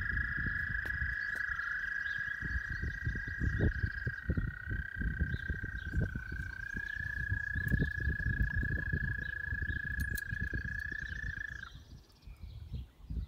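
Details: Frogs at Northwest Park give a long, steady, high trill that holds one pitch for over ten seconds, then stops.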